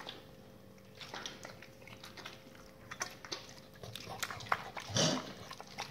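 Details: Raw-fed dogs crunching through salmon bones and chicken carcasses, soft irregular gnawing that builds toward louder wet snaps and a sharp crack near the end, low electrical hum underneath.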